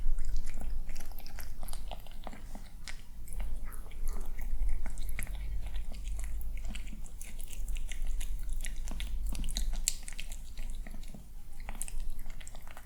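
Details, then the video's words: Calm, somewhat cautious young tomcat enjoying his morning meal inside a small room: rapid irregular crunches, roughly three or four bites a second, sharp ticks over a steady low rumble. "Watch Kitten Enjoy Breakfast!"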